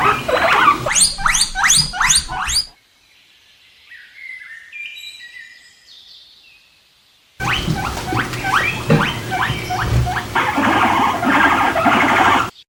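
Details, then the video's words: Guinea pig calls in two bursts: rapid runs of short rising squeals repeated several times a second over rustling noise, separated by a quieter stretch with faint higher tones. "animals, funny sounds: guinia pig"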